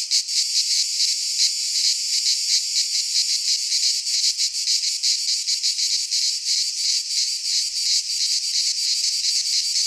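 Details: Cicadas singing in midsummer in a Greek pine forest: a dense, harsh buzzing drone, high-pitched and continuous, pulsing rapidly with slight swells in loudness throughout.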